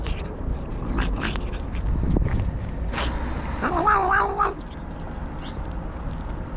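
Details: Angry white house cat that screams and hits, giving one drawn-out wavering yowl of about a second near the four-second mark, preceded by scuffing knocks and set against a low, constant rumble.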